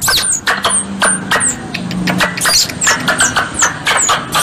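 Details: Squirrel calls used as a hunting lure in Indonesia: a run of sharp, very high, downward-sliding squeaks, several per second, with scattered broad clicks and a low steady hum underneath.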